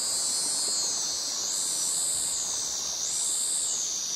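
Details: Male cicadas singing a mating call in tropical forest in Krabi, Thailand: a shrill, very high wail that swells and dips roughly every one and a half seconds, with crickets in the jungle background.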